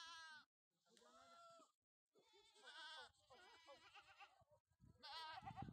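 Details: Sojat goat bucks on a farm in Dhule district, India, raised for the next Eid: several wavering, strongly harmonic bleats with gaps between them, mixed with human voices.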